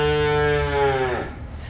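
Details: A Simmental bull calf, among young bulls being sold, holds a rich, even moo at constant pitch, then drops and fades at the end; low background hum underneath.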